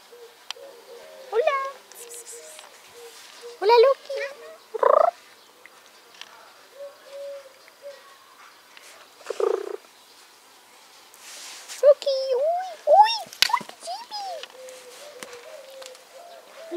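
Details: Rescued cats up for adoption with an animal association; several short, wavering meows and mews recur through the recording, mixed with bumps, rustling handling noises and brief bursts of broadband clatter.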